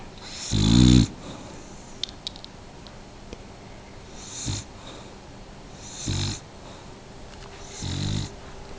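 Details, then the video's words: Bently, a pet dog, gives one loud, gravelly snore followed by three softer, shorter snorts spaced roughly every two seconds, with a few light taps in between. "Bently snoring"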